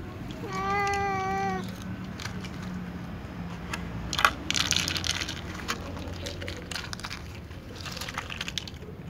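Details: Little ginger cat asking to be fed alongside other cats gives one clear, wavering meow near the start, followed by clattering, rustling and a low hum.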